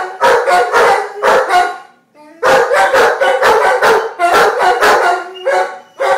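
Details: Two Giant Schnauzers, Max and Diva, "singing" together: loud, harmonic howling yelps in rapid bursts, a brief pause near two seconds, then a longer run of wavering, overlapping cries.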